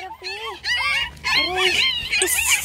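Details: Several puppies crying loudly, competing for attention: overlapping high, wavering whines and yelps that rise and fall, with brief pauses between bursts and faint background hum.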